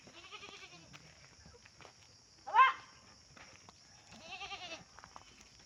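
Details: Pet goat on a countryside farm, being treated by its owners for a wound that left it limping. Three wavering bleats: one at the start, a short sharp louder one midway, and a longer quavering one near the end. Quiet people's voices and a steady high hiss.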